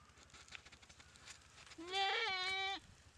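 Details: Goat bitten and paralysed by a Komodo dragon in a dry river at Komodo Village, in the jungle, being eaten alive; a single strained, wavering bleat lasting about one second, over a low steady hum and faint background noise.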